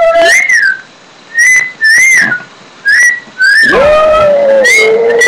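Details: Pet Shih Tzu Daisy gives brief high, arching howl notes separated by short pauses, then a longer, lower sustained howl that slowly falls away near the end.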